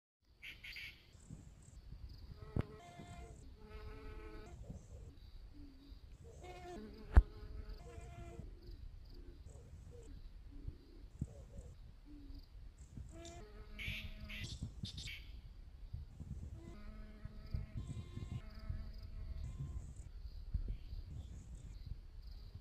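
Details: A honey bee buzzes in repeated bursts as it passes close, a rich humming drone that swells and fades and shifts slightly in pitch, with a few brief high chirps and a low background rumble beneath.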